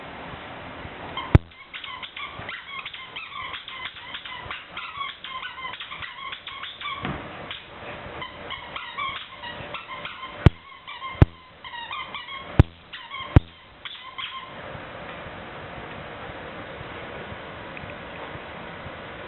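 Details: Leonberger puppy and an older Chihuahua-Papillon-Pomeranian mix playing indoors, running over tables with toys; repeated short high whimpers and yips in bursts over the first fifteen seconds, sharp clicks, then quiet room noise.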